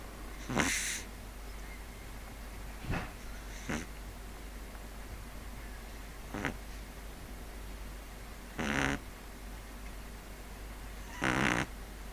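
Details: Pug sleeping and snoring irregularly. Short, scratchy snorts and breathy rasps come at uneven gaps. The strongest, buzzier snores are near the end.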